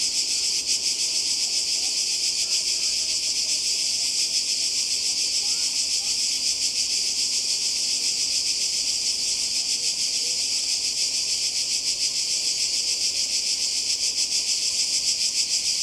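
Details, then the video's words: Cicadas calling in summer by the sea in Croatia: a dense, steady, high-pitched buzzing chorus with a fast rapid pulse, unbroken for the whole stretch, with faint low murmurs beneath. "Kroatien Zikaden und Meer"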